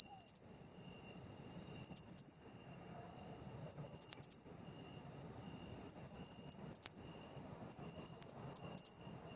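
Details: Matsumushi (pine cricket) singing in autumn: bright, high-pitched metallic chirps in quick clusters of two to five pulses, each cluster separated by pauses of one to two seconds, over a faint low background rumble.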